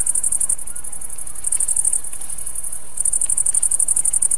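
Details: Bush-cricket song from a tailed green grasshopper: a high, dry buzzing stridulation in fast pulsed bursts, running for about 1.5 seconds, pausing briefly, then resuming as a steady shimmering trill; quiet background.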